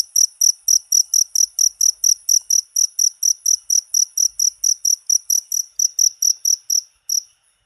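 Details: Cricket chirps intended to repel rats: loud, sharp, high pulses in quick regular succession that stop abruptly at the end, leaving near silence.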